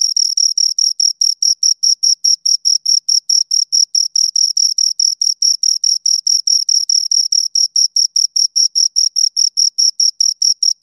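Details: High, thin chirping from two crickets, short bursts repeated quickly and evenly, about two or three each second, heard alone in quiet.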